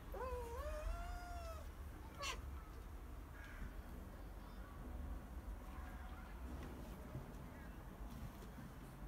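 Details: Siberian cat named Alisa, talking while sunbathing, gives two long drawn-out meows that rise and then level off, followed by a brief sharp sound and a few faint softer calls over steady low outdoor rumble.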